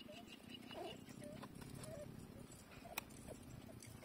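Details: Seven-day-old puppies, eyes still closed, nursing and searching for the teat by smell; soft short squeaky whimpers recur about every half second over a low steady hum, with a brief sharp click near the end.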